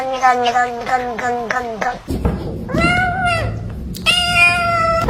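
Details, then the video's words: Pet cat meowing repeatedly: a rapid run of six short, arched meows, then longer drawn-out wavering meows, interspersed with a person repeatedly saying hello. "funny cat sounds"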